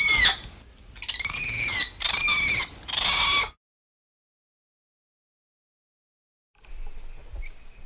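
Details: Agile spider monkeys in the treetops give four loud, quivering, high screeches in quick succession, followed by a long silence and faint calls at the very end.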